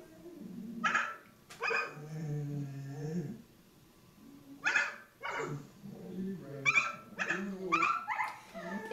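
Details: Talkative rescue dog indoors in a kitchen, wanting his dinner and licking his lips: a series of short yappy yips and whining vocalisations in bursts, some drawn out and wavering, with pauses between.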